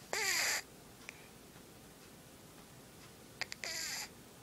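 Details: A sleeping cat snoring. Two noisy, breathy snorts come about three and a half seconds apart, each carrying a whistling tone that slides downward. The room stays quiet between breaths.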